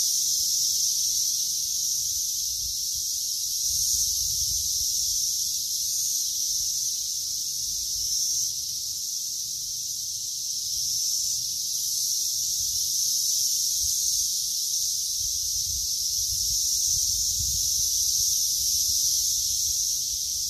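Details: Cicada singing through a long stretch while grass is cut: a relentless high-pitched electric buzz that swells and eases slightly in intensity, with faint low rumbling underneath.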